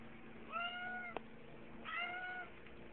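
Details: Two drawn-out, level cat meows follow each other about a second apart, with a sharp click between them over a faint constant hum.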